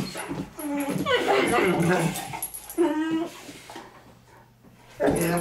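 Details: Two Great Danes, Milly and Izzy, playing indoors and taking over the house; high whining yelps and harmonic whimpers rise and fall between bursts of scuffling, with human speech mixed in.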